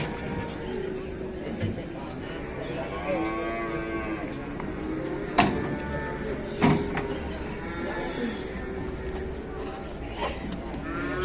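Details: Cattle unloaded from an overturned truck give several long, tonal moos that arch up and down, spaced a few seconds apart, with sharp knocks, clattering and distant voices around them.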